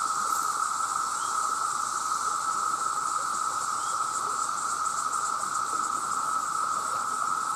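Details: Huge chorus of male cicadas calling for mates, a very loud sound: a steady, unbroken droning buzz with a mid-pitched tone and a fainter high shimmering layer, holding constant throughout.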